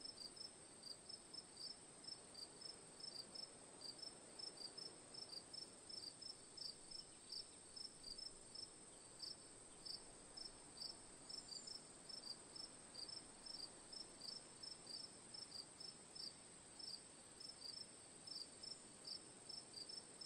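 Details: Crickets chirping in a steady ambient recording, short bright pulsed chirps repeating rapidly throughout over a constant high-pitched insect drone and soft background hiss.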